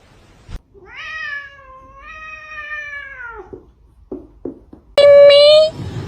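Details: Domestic cat giving one long, drawn-out meow of about two and a half seconds, steady and then dropping at the end, followed by a few soft clicks and a sharp, higher wavering cry near the close.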